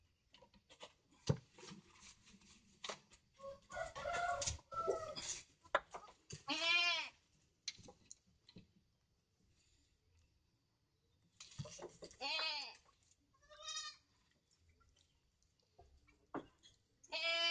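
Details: Goat bleating in a few wavering, quavering calls spread through the recording, separated by knocks, clatter and handling noises with quiet stretches between.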